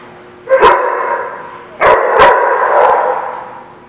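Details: Dog on 29 April 2016 letting out a sharp bark, a pause of over a second, then a quick double bark, each followed by a long echoing tonal tail.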